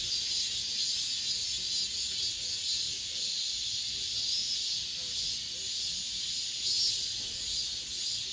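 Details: The season's final cicada chorus, heard within an apartment complex: a shrill, steady electric-sounding buzz. It fades gently for a moment around the middle before returning to full strength.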